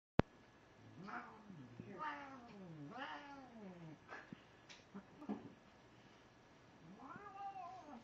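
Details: A cat lets out dramatic, drawn-out cries: several wavering, bending yowls about one second apart, a pause, then one more long rising-and-falling wail near the end, with a sharp click at the start in a quiet room.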